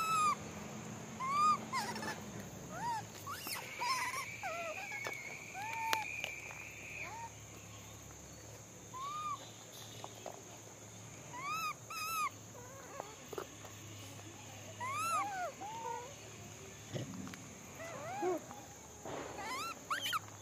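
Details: Monkeys being fed give short, arched, squeaky calls, repeated over and over, with a steady hum in the background.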